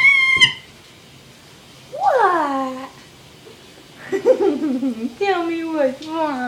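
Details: Diapered kitten Mr. Whiskers, rescued while sick and known as a very loud whiny cat: a short cry, then a sliding falling meow, then a rougher broken meow and a final long wavering one with quiet gaps between.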